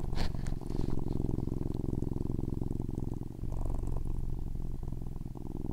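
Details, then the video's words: Loud purring from a domestic cat, a low steady rumble of rapid pulses lasting the whole stretch, with a brief faint click near the start. "Loud purrs"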